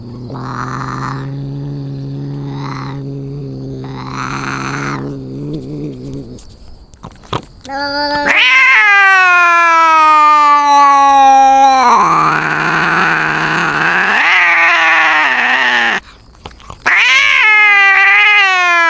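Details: Domestic cats in a fight: low, steady moaning growls with pulsing swells for six seconds, then loud, high, wavering yowls that rise and fall, broken by a short gap before a final rising wail.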